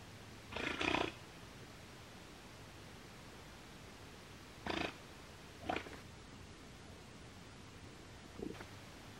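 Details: Giant otters giving alarm calls: one longer harsh, snorting burst first, followed by three shorter breathy blasts spaced a second or more apart, with still surroundings between them.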